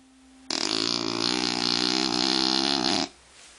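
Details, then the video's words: French bulldog indoors making one long, loud, rasping snore lasting about two and a half seconds, rich and buzzy with a steady drone, in an otherwise quiet room. "Bulldog frances roncando"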